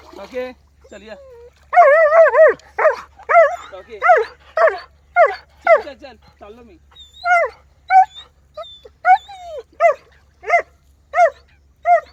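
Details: German Shepherd in a village, giving a series of sharp, harmonic barks and yelps, about one every half second to second, with some human speech in the background.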